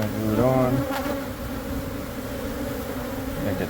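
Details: Dense colony of honey bees humming while being removed from inside a church wall in Monrovia for relocation; a steady droning buzz with layered tones, louder in the first second, plus a faint knock.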